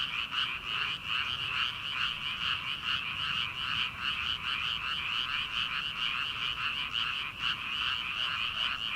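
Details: Night chorus of frogs in paddy fields at the start of summer, before rice planting: countless croaks layered into a constant throbbing drone with rapid repeated pulses, a brief dip near the seventh second.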